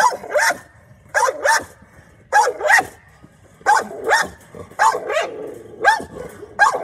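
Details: Guarding American Bully named Oreo giving sharp, strained barks, mostly in pairs, spaced roughly a second apart, with faint low growling between bursts.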